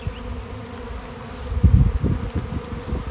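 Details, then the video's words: Honeybee swarm of thousands of bees on a fine day, recorded from among the flying insects; low continuous drone that swells into louder buzzy bursts in the second half as bees pass close. "Giant Bee Swarm came out of nowhere!"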